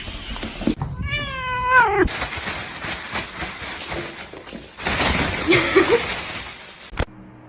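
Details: Domestic cat from a funny cat compilation gives one clear drawn-out meow that slides downward, followed by several seconds of broadband hiss-like noise and rustling, with faint voices in the background.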